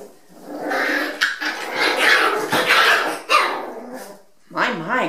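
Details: Five-week-old Rat Terrier puppies playing indoors in a bathroom, giving sharp yapping barks and high squeaky whines in quick bursts, with a woman talking to them over the noise.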